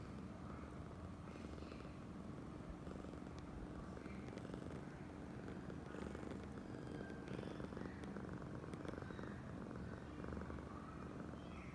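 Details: Oyen, a female pet cat seeking affection, keeps up a low rolling purr from start to finish, the steady rumble overlaid by occasional faint taps and rustling.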